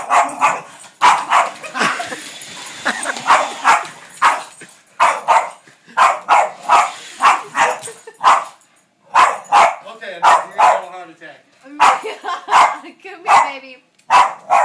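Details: A female Boston Terrier barks in quick, sharp bursts at a vacuum cleaner she loves, repeated several times a second in runs.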